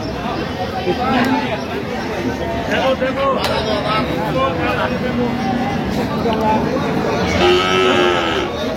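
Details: Cattle among cows with calves at Ambari Haat livestock market, Dinajpur, Bangladesh, 31 October 2025; scattered low moos sound through busy market noise, with a louder drawn-out lowing call near the end over talking and shouting.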